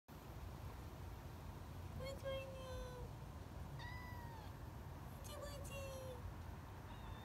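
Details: Female kitten approaching and talking, giving three clear meows: a long, slightly falling mew near the two-second mark, a short rising-falling one around four seconds, then a drawn-out falling call, over steady low background hum.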